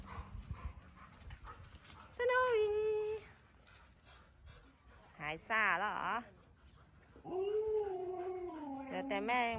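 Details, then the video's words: Siberian Huskies of Candy's household on a cold-season walk around home in Ubon Ratchathani, Thailand. Three vocal bursts: a steady whine, then a quavering, wavering yodel, then a long falling moan. Thai speech is heard between them. "Woof pack walking 🐶 เดินเล่นรับลมหนาวกับไซบีเรียนฮัสกี้บ้านแคนดี้"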